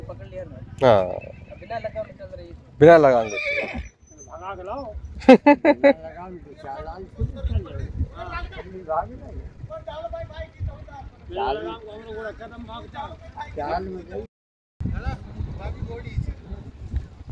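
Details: Marwari horse, a new mare in riding training for the rewal chal gait, ridden without a bridle at Pokhran, Jaisalmer, Rajasthan. Two loud, wavering whinnies come early, then men talking and hoof clip-clops.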